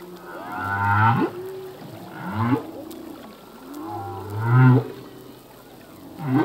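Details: Humpback whale song from a singing male: deep low groans paired with rising, wavering harmonic wails and short upswept whoops, recurring roughly every two seconds over a faint hiss of open sea.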